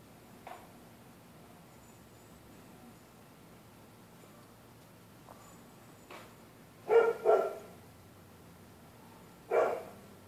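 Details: Neighbourhood dogs barking in the night when anybody walks the public sidewalk: faint distant barks early on, then a quick double bark and one more sharp bark near the end over a quiet hissing background.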